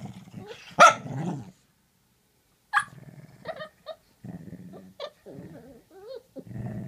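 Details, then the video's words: Two pet dogs exchanging vocalizations; low grumbling growls with a sharp bark near the start, then after a pause short yelping barks, whiny wavering moans and more growling. "Two dogs talking!"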